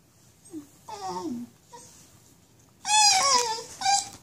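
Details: Basenji with nerve root damage crying out in pain while walking: a short yelp, then a wavering, falling whine, then loud, strained, harmonic howling cries near the end, with a brief quieter cry between, indoors.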